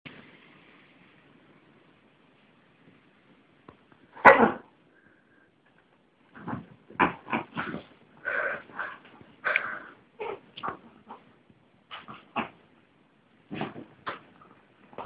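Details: Miniature Chihuahua, pet dogs, making a series of short sharp snorting and sniffing bursts, one strong burst followed after a pause by about a dozen quick irregular puffs over ten seconds.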